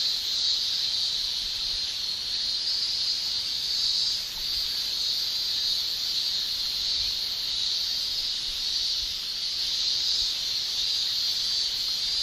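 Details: Japanese summer chorus of male cicadas producing tymbal song: a continuous, piercing high whine that swells slightly in places but never stops, over a low background hiss.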